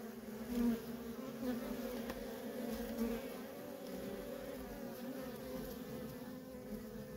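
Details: Constant hum of worker honey bees coming and going at a wild feral colony, a steady layered drone with brief louder surges as bees fly near, no other sounds.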